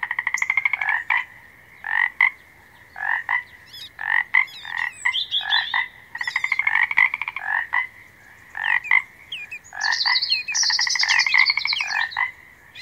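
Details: Frog calling in a soothing natural setting: bursts of rapid pulsed croaks repeated every second or so, with chirping calls above them near the end.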